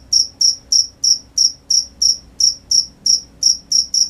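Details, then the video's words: Night-time crickets give bright, high-pitched chirps, each a short trilled pulse repeated roughly three times per second, steady and clean against a quiet background. "The sound of crickets at night"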